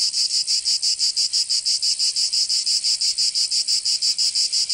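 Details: Cicadas of southern France's Provence sing in summer: an intense high sizzling buzz, rhythmically pulsed about three times per second, evenly sustained across the whole stretch.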